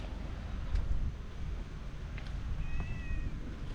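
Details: A wary cat from a family of three walking together outdoors gives one short, thin, high meow near the end. Constant low wind and outdoor rumble are heard throughout.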